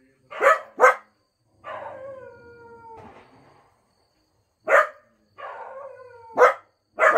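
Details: Two Cocker Spaniels howl and bark together indoors: short loud barks alternate with drawn-out howls that slide slowly downward, each lasting over a second, in a quiet room.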